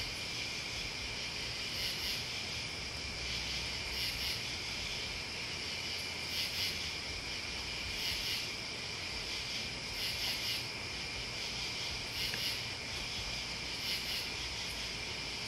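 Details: Steady high-pitched insect trilling from crickets and bugs, overlaid by sharp, very high chirp bursts repeating about every two seconds, with a low hum of distant noise beneath.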